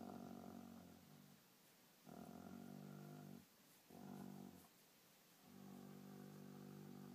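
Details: Dog guarding his toy while also enjoying a scratch, indoors: deep rumbling growls like an idling motor, in bursts of about one to one and a half seconds with brief lulls, the last one drawn out.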